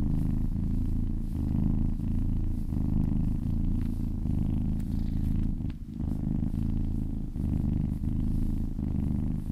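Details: Close-up kitten purr under massage, a deep continuous rumble pulsing with each breath, a short pause in the rhythm just after the midpoint.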